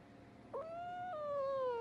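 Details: Pet cat in a funny cat compilation letting out a single long, clear meow: a short yelp-like onset, a steady held tone, then a step down into a slowly falling tail, against a quiet indoor background.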